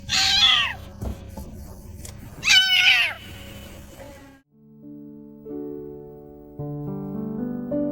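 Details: Stray orange kitten hiding under a car, meowing loudly to draw attention: two high, strained meows about two seconds apart over low rumbling background, then music with steady tones takes over the second half.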